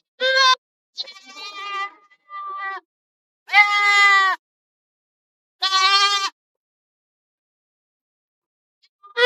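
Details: Several goats, out to eat in forest and field, bleat in turn: short loud bleats and softer, thinner calls, with pauses between.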